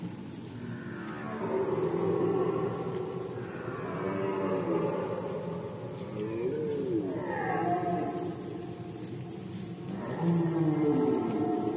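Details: Red deer during the rut in Poland, 2020: several drawn-out, harmonic-rich roars rise and fall in pitch across the clip, the loudest arriving near the end over a steady background hiss.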